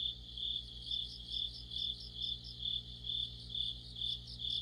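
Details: Crickets and other insects singing in autumn by a streetlight: rhythmic high-pitched chirps repeating about twice a second, brighter trilled phrases recurring, over a constant low mechanical hum.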